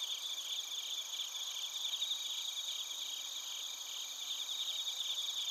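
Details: Insect night chorus of bell crickets and crickets in Narita, Chiba, Japan, recorded on a TASCAM Portacapture X8: bright, sustained high trills and quickly repeated chirps overlapping in an unbroken wall of sound.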